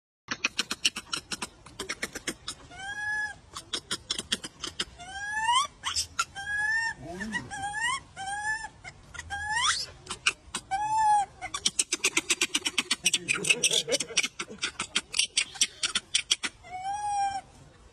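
Monkeys give repeated arched, squealing calls over a background of rapid clicking and chatter.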